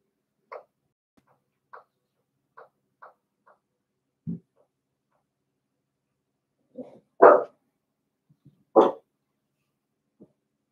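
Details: Cavalier King Charles Spaniel puppies playing indoors in a home puppy pen; short scattered yips and small barks, a low growl near the middle, then two louder sharp barks toward the end in a quiet room.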